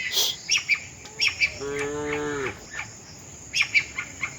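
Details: Tame cattle walking with their herd toward the shed; one drawn-out, level moo lasting about a second, surrounded by short sharp bird chirps before and after.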